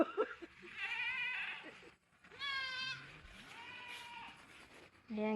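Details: Goats in a rural Philippine farm pen, one mother with three young, bleat in three clear, quavering, harmonic cries about a second long, with a person speaking Filipino nearby.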